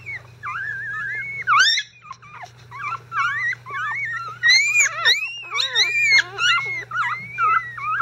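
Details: Disturbed five-day-old Icelandic Sheepdog puppies whimper loudly and continuously, with overlapping high, arching squeals that rise and fall, several pups calling at once, a low hum underneath; not hungry, just unsettled by a bedding change.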